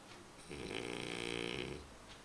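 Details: Römer, a sleeping dog, snoring: one long, rough, buzzy breath lasting about a second, with a low rumble and a breathy hiss, rising and fading smoothly against a quiet indoor background.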